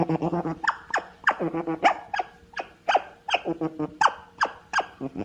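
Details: An otter gives low pulsed chatter, then a quick string of sharp, upward-sweeping chirps and squeaks, several each second.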